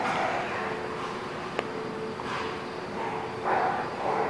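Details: Dog barking at The Barking Lot, recorded 27 March 2017: two short harmonic barks, one near the middle and a louder one toward the end, over a steady hum and constant background noise.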